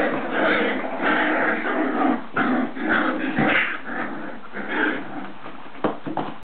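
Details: Irish Soft Coated Wheaten Terrier puppies making a jumble of whines, yips and short squeaky cries, several voices overlapping in irregular bursts.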